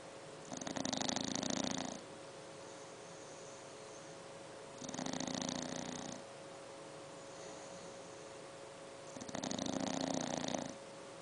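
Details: A seven-month-old English bulldog puppy snores in long, rasping breaths spaced about four seconds apart.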